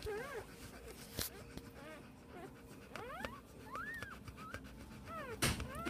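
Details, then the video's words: Day-old Pit Bull puppies from a litter of ten, five males and five females, born 7 December 2014; several thin, rising-and-falling squeaks and whines overlap, with a few sharp knocks and handling noises. "Cachorros PITBULL 1 día de nacidos."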